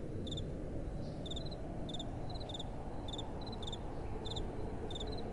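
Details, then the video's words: Crickets calling at night in a soft breeze: sparse high pulsed chirps roughly every half second with some slightly higher notes between, backed by a broad low wind hiss. "Relaxing Night Time Sounds | Crickets & Soft Wind"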